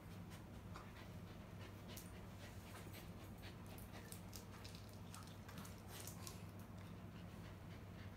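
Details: LUCKY, a dog disabled from birth, plays with its owner indoors, panting in soft, rapid breathy puffs over a steady low electrical hum.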